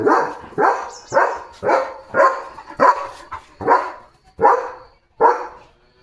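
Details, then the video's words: Leo the German Shepherd, kept as a pet and trained in commands, barks steadily to draw attention: nine loud, rough barks repeated roughly every two-thirds of a second, each fading quickly. "Leo The German Shepherd चा आजचा दिवस | Commands, Bark & Car Jump Fun Vlog"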